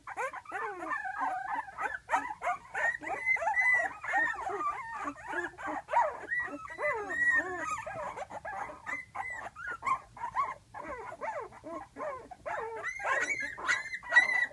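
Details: A litter of 12-day-old puppies, eyes just opening, crying in the whelping box for their mother resting just outside; a dense, overlapping chorus of high whines, squeals and yelps sliding up and down, almost continuous.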